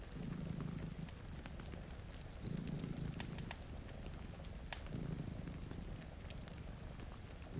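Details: Low, continuous purring from two cats asleep in front of a rain-streaked window, pulsing in breath cycles roughly every two seconds, while a fireplace crackles with scattered sharp snaps and faint rain patters behind.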